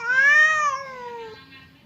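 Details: Domestic cat, either the fierce Temon or the quiet Lelo, squaring off with the other across a partition that keeps them from fighting: one short, loud, tonal yowl that swells, then slides downward and fades.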